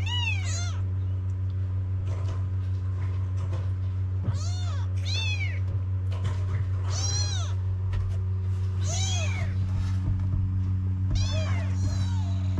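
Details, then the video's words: Several stray kittens in Morocco cry for their mother, Mama the Cat, wanting to nurse. High, arched mewing calls overlap, repeating over a minute-long rhythm of about seventy-five cries, with a persistent low hum behind them. "When Mama the Cat heard her kittens crying she jumped over to nurse them."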